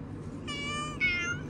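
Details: A domestic cat outside utters two quick, rising-then-falling meows back to back, clear and tonal, over faint low hum while a man speaks in Hindi nearby.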